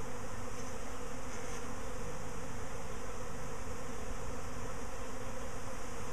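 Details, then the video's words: Bees in a repeat swarm a week after the first, near a hive box; loud, even, low buzzing drone that holds steady without pauses. "BEE SWARM 2"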